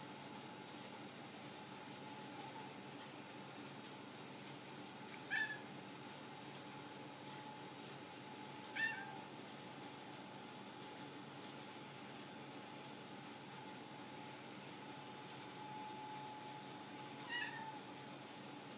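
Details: Lily, a pet cat indoors awaiting dinner and answering questions, gives three short, high chirping meows spaced several seconds apart over a steady faint household hum.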